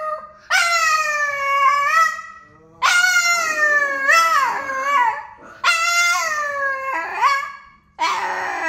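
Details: An exceptionally vocal Boston terrier sings a series of four howls, each starting loud and tonal then sliding down into whimpering, broken tones, with short pauses between them.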